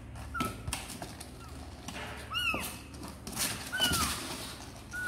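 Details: Kittens of the cats Sor and Kapov, seemingly wanting to come out and play, give several short, high, thin meows, one arching up then down with strong overtones, amid scattered clatter and knocking.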